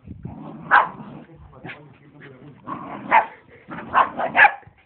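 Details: Two dogs playing wild together in a garden: low rumbling growls under sharp, high yelping bursts, loudest near the first second and again around three to four and a half seconds, with brief pauses between bouts.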